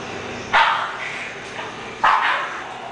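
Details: Clay, an English Bulldog, lets out two loud, rough barks roughly one and a half seconds apart, each with a brief trailing tail, against faint constant background noise.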